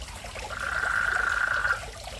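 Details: Frog in a fish pond in front of a house, a countryside-like sound: one steady, even-pitched trilling call lasting just over a second, over soft trickling water.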